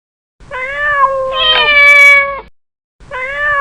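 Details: Domestic cat giving a long, steady, slightly nasal meow that swells in the middle and fades over about two seconds, followed after a short pause by the start of another meow.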